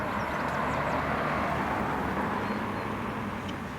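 Steady broadband rumble of passing traffic, with no animal calls standing out.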